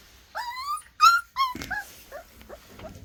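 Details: Young black puppy already barking loudly: three clear, high, tonal yelps in quick succession, each with a slight downward bend, then several fainter, shorter yelps trailing off, with a man's voice briefly in between.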